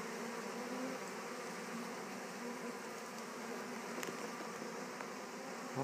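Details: Western honey bees retrieved from a swarm and placed in a Warre hive, settling in; a steady buzzing hum with individual bees droning past at moments and a couple of faint clicks near the end.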